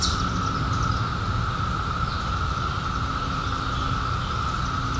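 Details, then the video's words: Chorus of cicadas that emerged in 2021 after a 17-year hiding: an unbroken, level drone at a single pitch, with a deep rumble of background noise underneath. "CICADAS 🌿 Sounds"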